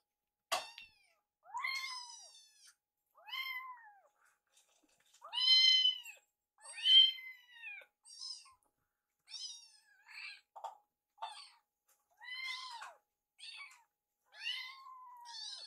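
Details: Kittens in foster care calling at mealtime as Yuki sneaks Piyo's leftover food; rapid run of high, arched mews, roughly one every second or so, varying in loudness.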